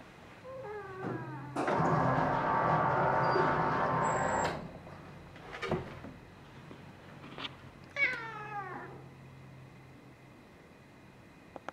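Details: Amber the cat, recorded in March 2021, giving a drawn-out descending meow, then a loud rushing blast of hair-dryer noise, and later a second falling meow in a quiet room.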